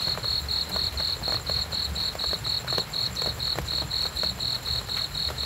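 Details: Cricket chirping in steady, rapid pulses, about four high, thin chirps each second, with a low rumbling murmur and scattered faint clicks underneath.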